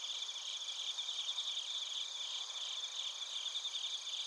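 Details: Insect chorus of crickets recorded in Narita, Chiba Prefecture, Japan, on a TASCAM Portacapture X8, with quick high chirps pulsing roughly two to three times per second over a constant shimmering background trill.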